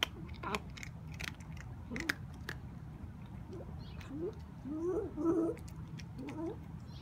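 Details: Kitten with a rare bone disease eating dry food indoors: repeated crunchy chewing clicks, then short rising and falling murmured mews and grumbles in the middle of the clip while it keeps eating.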